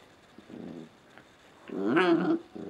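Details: Indoors before dawn, two Scottie puppies tussle in play: a low brief growl, then a louder, higher, strained whining yelp with rising and falling pitch, followed by another soft growl.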